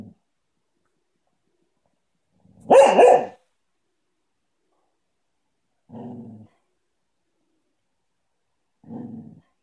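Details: Cocker spaniel at play time, one loud single bark followed by two soft low grunting huffs spaced about three seconds apart, otherwise quiet indoors.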